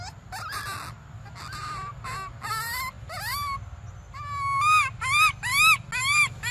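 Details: Crying for milk, baby monkey Briar gives a run of arched whining calls that grow louder and quicker, ending in a regular series of rising-falling cries about twice a second.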